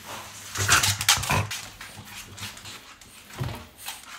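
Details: After strange noises, a French Bulldog gives short high whimpers and squeaky whines, followed by quieter breathy snuffles.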